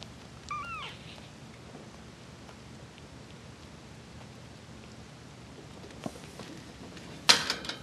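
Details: Exotic Persian bicolor kittens almost four weeks old, one female and three males, indoors; one short high rising-falling mew near the start, then quiet room noise with a couple of sharp knocks near the end.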